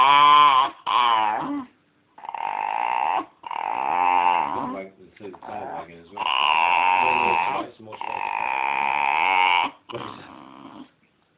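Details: Dog making drawn-out, wavering whine-like 'talking' sounds while being stroked on the belly, wanting more stroking; several long moaning phrases with rising and falling pitch, separated by short pauses, recorded indoors on a phone.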